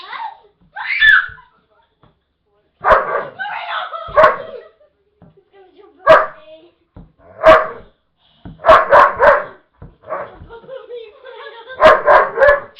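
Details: Pet dog barking at its owners indoors: short, sharp broadband barks in uneven bursts, some doubled or tripled in quick succession, with quiet gaps and human voices talking between them.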